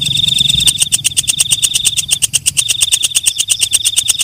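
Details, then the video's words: A walang kecek, the night katydid, gives a shrill high trill that shifts after a moment into a string of rapid, sharp rasping clicks, with the trill returning beneath them in the last half. "Suara Walang Kecek/ Belalang Malam"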